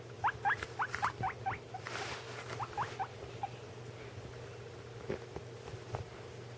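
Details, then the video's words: Pet guinea pigs, one eating: a quick burst of short upward squeaks in the first three seconds, then quieter rustling and scattered clicks, with a low background hum throughout. "My guinea pig making noises"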